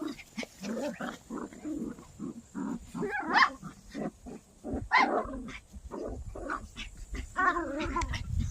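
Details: A poodle playing during a summer walk makes a run of short, rough grunts and growls, roughly one every second or faster, uneven in rhythm, with a few higher, strained squeals mixed in.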